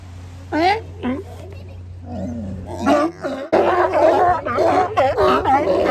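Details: At Kiddie Beach, Oxnard, California, sea lions on the beach give a few separate harsh barks. A thick run of overlapping wavering calls follows, over a low steady hum.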